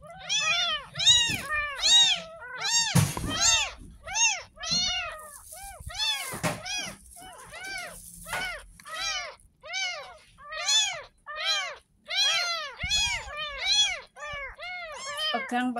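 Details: Ten-day-old kitten rescued from a gutter, protesting its first bath with a steady stream of thin, high, arched mews, more than one each second, some louder bursts, amid water noise and soft scrubbing.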